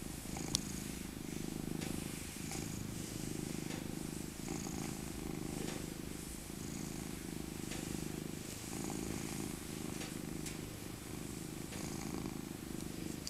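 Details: Rescued tabby cat Maca, now an old lady, purrs in her winter coat while being cuddled; a loud continuous low rumble pulsing in swells of a few seconds, with faint rustles on top.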